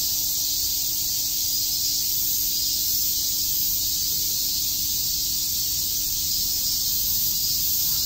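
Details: On a summer day at Shakujii Park, Tokyo, a cicada chorus forms a seamless, intense high-pitched buzz that stays level throughout, backed by a faint low-pitched hum.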